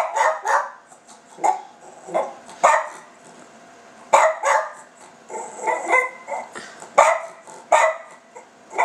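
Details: Pet Silky Terrier asking its owner for food, giving a long run of quick, yappy, talking-like barks and whines in uneven bursts, some in doubled pairs, over a faint constant hum.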